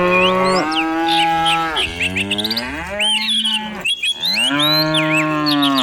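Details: A herd of dozens of cows moves downhill through rural countryside in the morning. Long, overlapping bellowing moos, some rising then falling, fill the scene almost without pause, while bright bird twitters flicker overhead.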